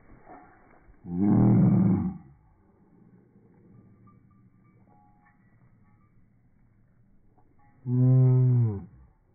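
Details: Female puppy, a pet dog excited and going crazy, gives two loud, deep drawn-out moaning growls, each about a second long, rich in low harmonics and separated by several seconds of quiet rumbling and background hum.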